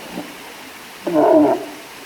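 A walrus gives a short, hoarse bellow, rough and throaty, lasting about half a second.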